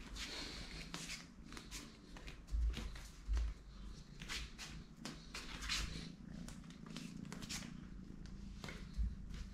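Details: Small kitten named Totoshka purring indoors: a steady, low rumbling throb runs through the whole stretch, broken by scattered soft rustles and handling thumps.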